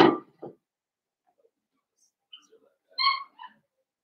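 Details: Blenheim Cavalier King Charles Spaniel puppy from a litter of five born at New Year, in an indoor puppy pen. A short thump opens, then a brief high, clear whine around three seconds, followed by a softer trailing whimper.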